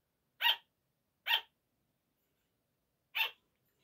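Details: Sugar gliders at night giving their 5 a.m. wake-up barking: two crisp, high yaps less than a second apart, a pause of nearly two seconds, then a third identical yap in near silence.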